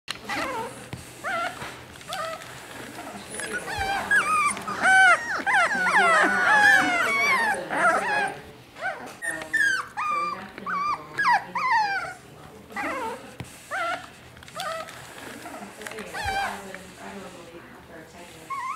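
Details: Several young puppies, born to a Maltese mother named Mimi, sit together in a laundry basket and give high, wavering whines and whimpers in overlapping bursts. The calls are loudest in the middle stretch, with faint human voices at times.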